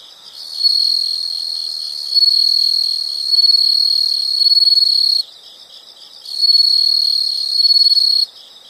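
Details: Insects calling in a natural setting, long loud high-pitched trills that run for several seconds, pause briefly, then resume, with quieter pulsed chirping filling the gaps.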